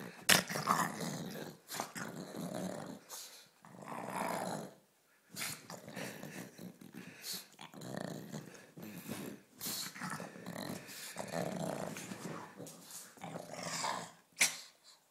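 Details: A playful pet pug named Ulisse keeps up a long run of rough, low growls and huffing grumbles in separate bursts, with brief silent gaps and occasional sharp clicks of movement.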